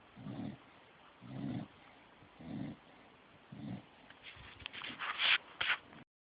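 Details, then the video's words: Dog snoring in sleep, four low, throaty rattling snores about a second apart, followed by a louder burst of higher, scratchy sounds before the recording cuts off. "the snoring dog"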